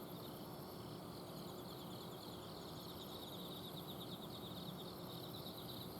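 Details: Nighttime autumn insect song from a home garden in Azumino, Japan, with a dense layer of quick high chirps from multiple insects and a steady mechanical hum from an air-conditioner outdoor unit underneath.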